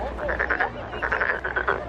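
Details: Frog seen at the Nowon lantern festival in Korea, croaking with a vocal sac swelling; a quick run of rasping, pulsed bursts repeated several times a second over a low background hum.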